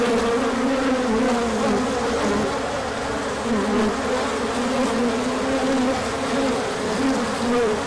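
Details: Bees out in a large orientation flight on a sunny spell following colder weather, 24 March 2024. Rich, constant wing-drone from many insects, overlapping humming tones that drift up and down, steady loudness with mild pulses.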